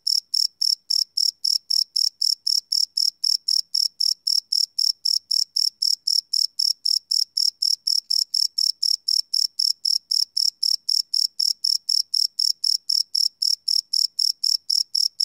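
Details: Night crickets recorded live without loops on a field recorder, giving a continuous run of sharp, high-pitched chirps at roughly four per second, very even in rhythm and loudness, nothing else audible.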